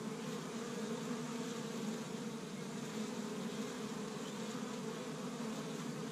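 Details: Steady humming of a crowd of honey bees around their established hive in Michigan, first warm spring day, with pollen gathered from tree buds; a low, even drone with a clear overtone, no pauses.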